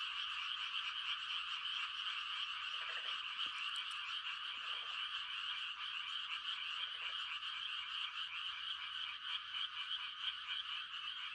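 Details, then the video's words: Mating calls of many frogs on a still country night form a continuous high trilling drone. Three lower, rattling croak bursts break through at scattered moments, and one faint tick sounds. "The sound of frogs on a quiet country night"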